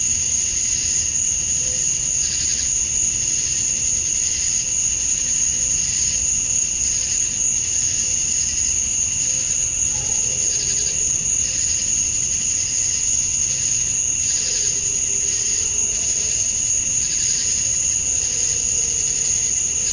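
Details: Summer dusk chorus of male cicadas in Georgia, USA, calling to draw females. A continuous shrill high hum runs throughout, overlaid by rhythmic pulsing waves. Faint low tones drift in the background near the end.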